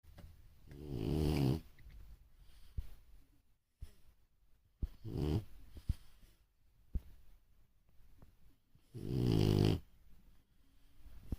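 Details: French Bulldog snoring indoors, a real snore loud enough to stand out: three long, rough, low rumbling snores near 1, 5 and 9 seconds, with quiet breathing and small clicks between them.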